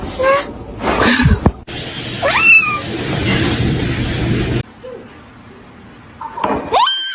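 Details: Kitten meowing in a short compilation of funny cat moments, a few rising-then-falling meows spread across abrupt cuts, with a steady noisy hum in the middle section and quiet room sound between calls.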